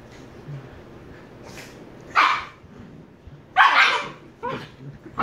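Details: Two Shiba Inu puppies, 114 days old, with sharp, bright barks around two seconds and near four seconds, plus a few softer yips between them over low background noise.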